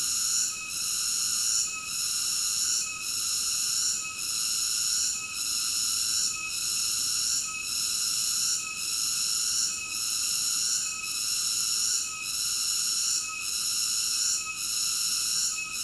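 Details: Cicada song as a loud, even, whining buzz in several high layers, falling away briefly at a regular beat of about once per 1.2 seconds, with no background voices or birds.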